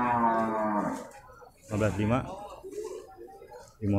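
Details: Slaughter cattle lowing at the Purwakarta animal market on 15 July 2024: a deep, steady moo about one second long and a shorter, rising-and-falling moo, with music and a man's voice discussing prices.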